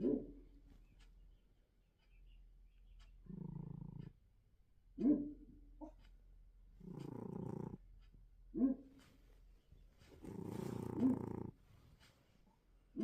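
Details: A sleeping pet cat named Ryzhik snores: soft, low rasping breaths come in bursts about a second long, alternating with short sharper snorts, with quiet pauses between breaths.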